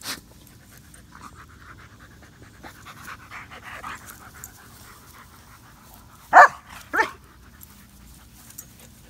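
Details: Odin and Samson, a Boxer and a German Shepherd, thirsty in Oklahoma heat over 100 degrees; soft irregular panting breaths, then two loud sharp bursts near the end, likely lapping or bumping, in a quiet setting.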